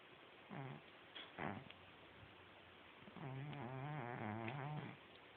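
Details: Pet cat snoring loudly while asleep, with rough rasping breaths and a longer buzzy wavering snore over steady background hiss.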